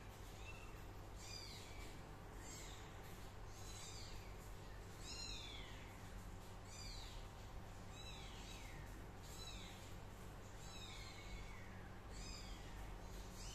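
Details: Kitten Min calling again and again: a long run of short, high, falling meows, roughly one every second or so, over a steady low-pitched background drone.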